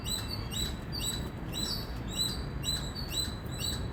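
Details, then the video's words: Indian squirrel chirping in steady bursts of about two per second, thin high notes slightly softer than before, set against a rumbling low-frequency background. "Squirrel Sound | Squirrel Voice | Loud Squirrel Chirping Sound"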